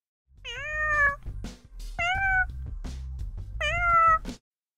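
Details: A domestic cat gives three clear, drawn-out meows, each rising then falling slightly. This is the most basic cat call, used mostly by tiny newborn kittens to call their mother.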